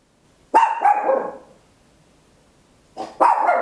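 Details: Papillon, a tiny dog, barking very loud at home, recorded in stereo with an Olympus LS-11; two bursts of sharp, high, slightly rough barks, the first trailing off over a second, the second starting after a short silence.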